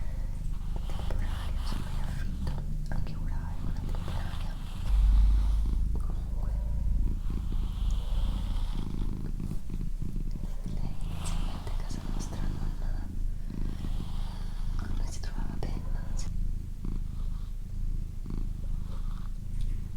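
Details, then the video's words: Female pet cat named Doroti purring steadily at home: a deep, even rumble pulsing several times a second, with a brief louder thump and occasional soft whispered words. "ASMR Cat Purring & Whispering"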